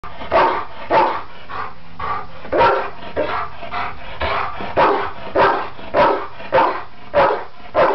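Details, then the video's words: A Labrador retriever barks in a steady series of deep, full barks about every half second, barking up at something where it apparently thought it saw birds. "Labrador retriever barking up the..."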